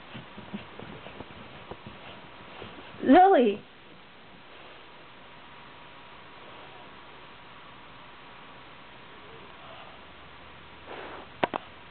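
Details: Indoors, a female Shiba Inu kept as a pet lets out a single brief, loud, arched whine amid an otherwise quiet room with faint clicks and a soft voice early on.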